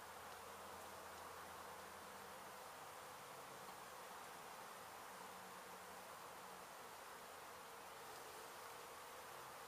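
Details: Disturbed honey bees from a hive hit by demolition crews at an abandoned home in Mission, Texas, during their removal; a dense, unbroken buzzing roar fills the whole stretch at an even loudness.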